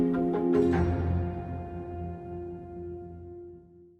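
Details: Soft mallet-percussion music rings out and slowly fades, with no animal voice anywhere.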